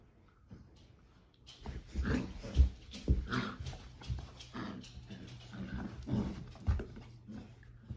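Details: Female Basset Hound puppy roughhousing with her father, an older dog, indoors: quiet at first, then low rumbling growls, grunts and snuffling bursts from about 1.5 seconds on, loudest near 2.6 seconds, with scuffling throughout.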